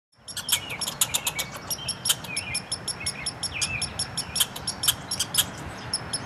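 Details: Two red squirrels quarrelling in a front yard, exchanging rapid chatter: a fast run of sharp, high clicking pulses, several each second, with occasional short squeaky slurred notes and a low background rumble.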